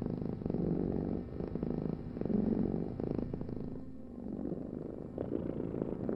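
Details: Cat purring: a low, continuous rumbling vibration with slight swells and dips in loudness over about six seconds, no other sounds standing out.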